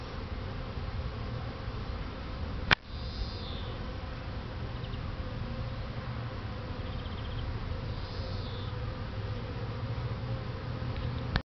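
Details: Buckfast honey bees flying in a garden; continuous low humming buzz from a crowd of bees, with a sharp knock early on and faint distant bird chirps.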